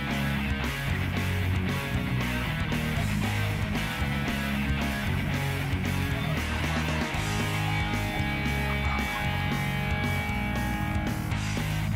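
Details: Strummed electric guitar music with a steady bass line plays throughout, and no animal sound is heard.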